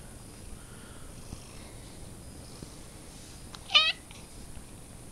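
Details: Domestic cat, described as funny and dangerous, recorded in May, giving a single short, clear meow of under half a second against a quiet background with a faint steady hiss.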